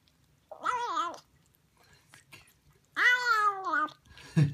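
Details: Siamese kitten, a female, indoors while eating sardines: two loud, drawn-out harmonic meows, the first wavering and the second longer and arching, with a low hum beneath and a short noisy burst at the end.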